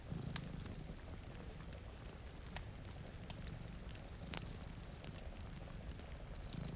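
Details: A low, continuous cat purr from two cats sleeping by a rain-streaked window. The purr rumbles evenly with faint pulsing, dotted with crisp crackles from a fireplace and a constant wash of rainfall.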